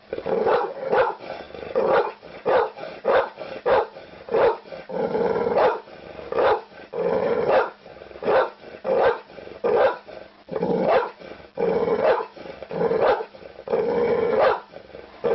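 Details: Dog begging with a steady run of short, hoarse barks and grunts, irregularly spaced, several per second at times, with little pause between bursts.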